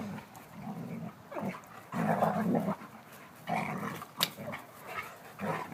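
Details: Rough-and-tumble play between two German Shepherds, brown female Abbey aged 16 months and silver male Bear aged 9 months, gives low rumbling growls in bursts of about a second, with short breaks, panting and one sharp click.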